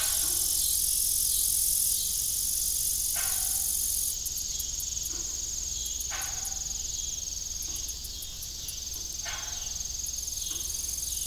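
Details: Evening crickets at an old farm with a broken windmill keep up a continuous high-pitched shrill chorus, while hollow knocking creaks from the turning blades sound about every three seconds and quick ticks pulse in the middle.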